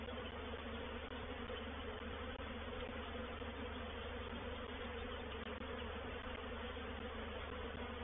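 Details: Continuous massed buzzing of a honey bee reproductive swarm settling into a swarm trap at Painted Peacock Manor, dated 04/07/21. The hum is steady and rich, with no pauses over eight seconds.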